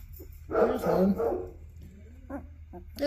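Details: Two-week-old black Labrador puppies from a winter litter in Colorado, USA, eyes beginning to open and learning to crawl, indoors; a burst of high, wavering whines and squeals, then a few short squeaks, over a steady low hum.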